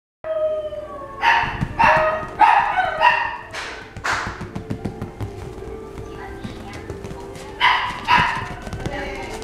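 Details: Toy Poodle barking: sharp, ringing barks in a quick run of four between one and three seconds, then a pair near eight seconds, over a low steady background hum.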